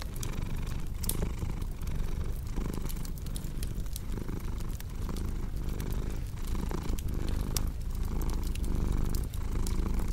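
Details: Domestic cat purring beside a cozy crackling fireplace, a steady low rumbling purr pulsing in long breaths roughly every second, with sharp pops and crackles of burning wood scattered throughout.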